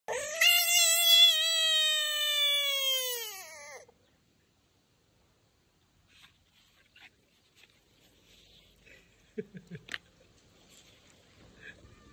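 An American bullfrog gives a long, cat-like meow, a rich wailing note that slowly falls in pitch.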